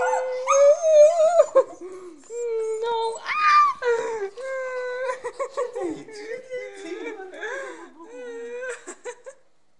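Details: Jealous Fox Terrier giving a stream of wavering, crying whines and yelps, some rising then falling, in rapid irregular bursts with brief pauses, alongside human speech.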